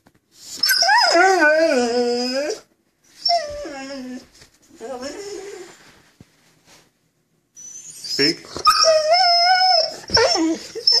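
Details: Pet vizsla 'talking' after being told to speak, about his missing fish chew toy: drawn-out mournful whines with wavering, falling pitch, several separate bursts with pauses, a person's voice and clicks between them.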